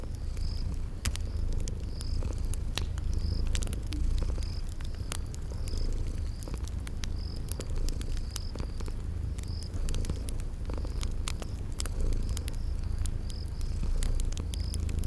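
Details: Purring sleeping kitties by a crackling fire in a spring garden: steady deep rumbling purr under rapid fire crackles, with cricket-like chirps repeating about every second across the whole stretch.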